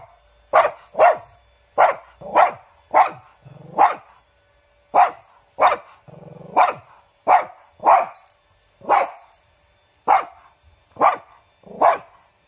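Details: Sharp, repeated barks from Chiro, a large pet Shih Tzu. About seventeen clipped woofs come in uneven bursts, and a low rumbling growl slips in between two of them.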